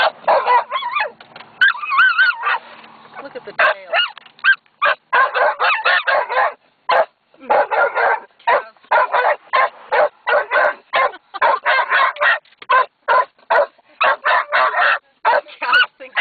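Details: Zazu, a female dog, barks at black cows resting in the shade; loud, sharp barks come in rapid bursts of two to three a second, with a brief whine early on.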